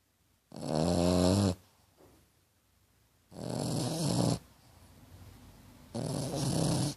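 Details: Snoring French Bulldog Tequila, compared to a little pig: three long grating snores, a full second each, low throaty rattle with bright hissy upper edges, separated by brief soft exhalations.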